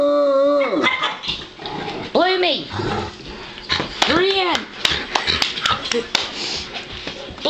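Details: A female bloodhound gives short, tuneful howls that swell and fall in pitch between bursts of human chatter: she howls and 'smiles' when cheered with 'Yay Bloomie!'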